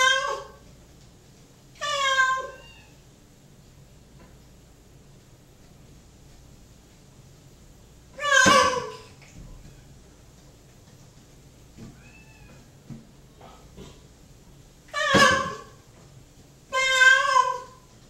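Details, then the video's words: Indoor cat Mocha waits in the bathroom for his dinner and calls out in insistent meows, five rising-falling harmonic cries spaced irregularly, while a faint second cat, Awesome Sauce, is heard in the background, plus soft clicks. "What does Mocha do while he waits for dinner?"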